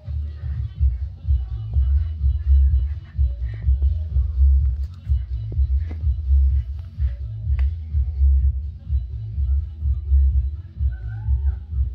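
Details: Electronic music with a deep throbbing pulse dominates throughout, with faint speech-like traces and no clear animal sound.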